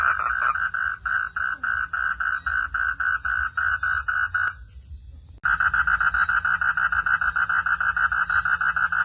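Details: A frog calls during rain in a fast, steady run of short, nasal pulses, pausing briefly before resuming.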